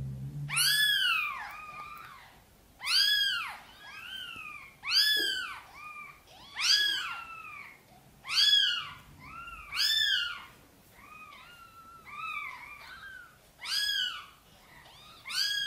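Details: Mother cat indoors gently meowing, asking for help bringing her tiny kittens into the nest: a steady series of arched, rising-then-falling meows about every one to two seconds, many followed by a softer second meow.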